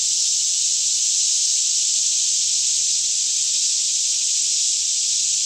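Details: Daytime chorus of cicadas singing all around in a lush green Kentucky forest near Franklin, about 10am with fairly still air, recorded in stereo on a Canon 5D Mk2; a dense, steady high-pitched hiss, unbroken throughout, over a faint low hum.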